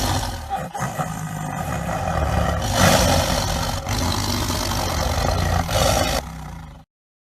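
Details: Tiger giving a sustained, heavy roar: a growling, rumbling sound rich in low tones with harsh upper noise, swelling in loudness around the third second and then holding steady before cutting off abruptly.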